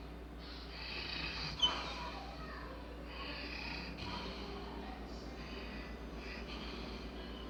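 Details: Sleeping Labrador Retriever named Bella snoring, long airy rasping breaths with a brief sharp snort near the start, then steady hissy inhales and exhales in slow rhythm.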